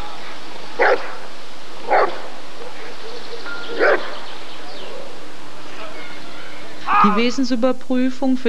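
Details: Rottweiler barking at a 1994 ADRK Körung breed survey: three sharp single barks about a second apart, then a voice speaking at the end over a low hum.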